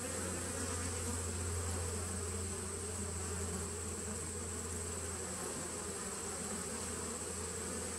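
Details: Honey bees humming inside a nuc, recorded 19 September 2018, an unbroken low drone, stronger in the first seconds, under a faint steady high whine.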